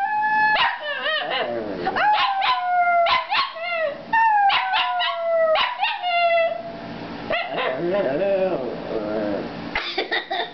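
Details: A Shih Tzu singing in a duet with a woman: drawn-out, wavering howls that slide downward, overlapping with her sung notes, with a few sharper yelps, filling the whole stretch.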